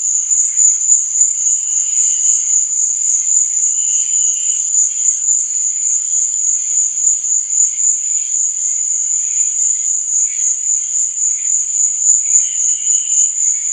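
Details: Night-time cricket chorus, a continuous shrill trill held at one high pitch, softly throbbing, while scattered lower chirps rise and fade at intervals, clearest around two, four and twelve seconds.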